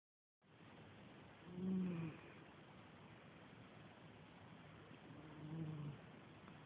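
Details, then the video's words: Small 7 lb cat snoring while asleep, recorded on a phone: two soft, low, raspy snoring breaths about four seconds apart against a constant faint hiss. "Little cat snores"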